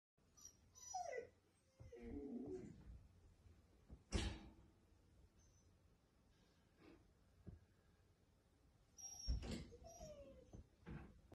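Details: Dogo Argentino reacting indoors to something unseen: short falling whines early on, a harsh broadband bark-like burst near the middle, then another cluster of whimpers and a sharp burst toward the end, with quiet stretches between.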